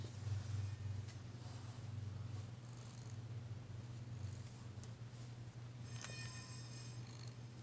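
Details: Danci, a tentative female cat being massaged indoors on February 9, 2022, purring for the first time since she arrived; a steady low rumbling purr runs throughout, with brief faint rustles and a few higher clicks.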